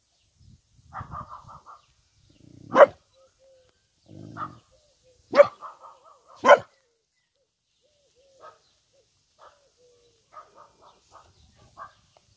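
A Vizsla gives a few sharp, loud barks between higher, wavering whines and yelps.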